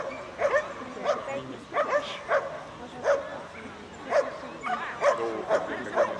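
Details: Beagle Adel at an agility jumping run, Cherkasy, Ukraine, 9 September 2017, national championship; short yapping barks come in uneven bursts about every half second to second over a murmuring crowd.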